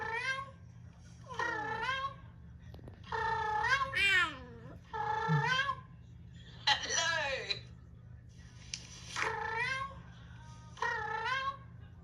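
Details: Rescued cat, frightened and prone to hissing, hearing recorded cat sounds indoors, filmed around February; several drawn-out, wavering meows with bending pitch, some rising then falling, in bursts separated by short pauses, with faint human speech.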